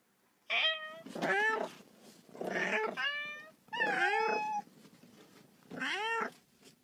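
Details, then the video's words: Kitten playing ball and wanting to play gives loud, harsh, drawn-out meows in five bursts, some rough and wailing, with short gaps between. "The cat makes a sound, wants to play too."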